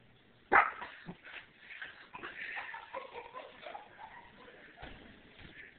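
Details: Papillon puppy named Sophie, excited indoors and investigating after being asked who is here, gives a sharp loud yip then a run of fast, high, excited barks and whines that gradually fade.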